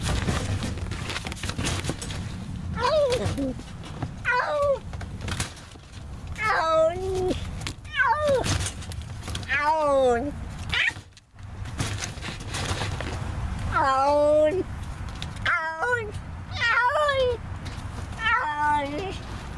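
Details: Feral neighborhood cat caught in a trap for trap-neuter-return, giving drawn-out harmonic meows roughly every one to two seconds, some wavering and rising then falling, with clattering knocks and rustling between calls.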